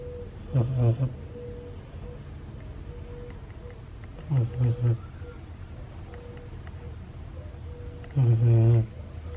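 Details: Ace, a sleeping Siberian Husky puppy, snoring loudly: three deep, rasping snores roughly every four seconds, each a low rumbling burst with quiet breathing between them.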